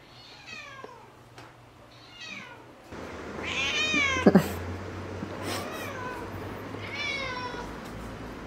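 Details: Cat outdoors beside foxtail grass, giving several short falling meows with rich harmonics, four or five calls spread over the stretch, against a steady low hum and light background noise.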